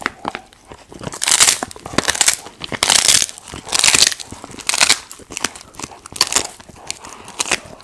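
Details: Golden retriever dog eating snacks indoors in a mukbang-style ASMR recording: loud, bright, crunchy bites and crackling chews come in bursts roughly once a second, with quieter gnawing between.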